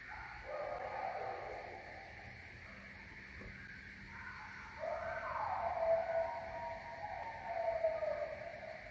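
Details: Coyotes howling at the moon give drawn-out, wavering howls that swell, slide upward and trail off in a mid-pitched tone.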